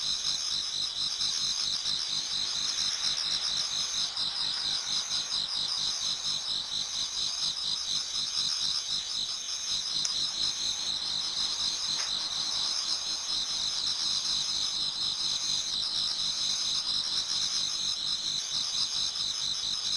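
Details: Autumn insects in a Japanese garden toward dawn: a dense chorus trilling and pulsing continuously in high, shimmering bands.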